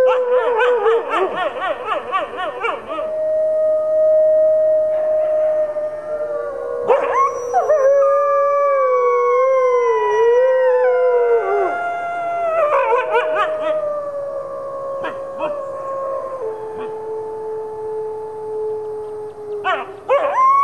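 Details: Four captive red wolves, including two nine-month-old pups, howl together with Arctic and Mexican gray wolves at the Wolf Conservation Center, New York. Quavering yips open into long, gliding howls that rise, dip and hold in layered harmony.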